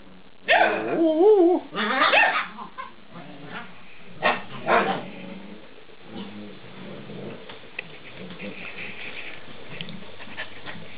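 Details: Eight-week-old Alaskan Malamute puppies vocalizing as they are talked with: a warbling, wavering howl-like call followed by a few short yips, then quieter scattered whines and a faint voice in the background.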